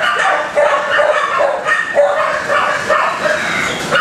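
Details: Kennel dogs barking in a continuous, distracting chorus; overlapping sharp barks arrive irregularly, with a few louder bursts standing out over the steady background of yelps.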